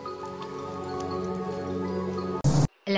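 Steady droning music with dripping, splashy effects and a brief burst of noise; no animal voice.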